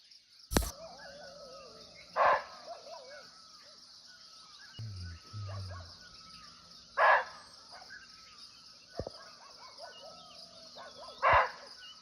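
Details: Barking deer (muntjac) calling unseen from nearby in a natural forest in Nepal: three short, hoarse barks spaced about four to five seconds apart. A sharp click comes near the start and a faint low rumble between calls.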